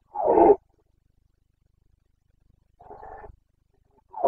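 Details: Carpathian stag, a red deer, in the breeding season in Bucovina, Romania, late September 2022: one strong, rough roar, then a quieter grunting roar after a pause, and the start of another at the end.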